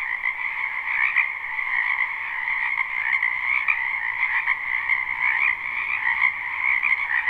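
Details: A springtime frog chorus from a wetland behind a home, recorded live with no loops: dense rapid croaks overlap into a constant buzzing drone, with occasional louder individual calls poking through.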